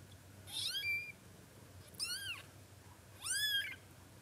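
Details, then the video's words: A male Munchkin kitten on his first day of life gives three loud, high meows, each rising then falling, about a second apart. "A powerful meow of a kitten on the first day of life"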